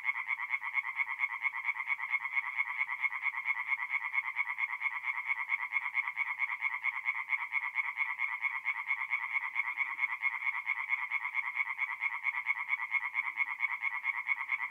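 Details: Tree frogs singing at night in a forest pond in North-East Italy in mid-April: a dense, steady chorus of rapid, rasping pulses that merge into a continuous high trill, with no other sounds.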